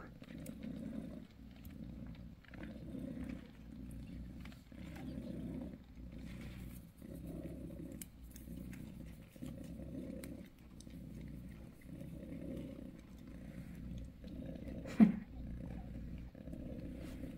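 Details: Bassy, a mother cat on the sixth day after giving birth to five kittens on January 6, purrs softly and steadily, each rumbling breath cycle lasting a little over a second, with faint rustling in the background.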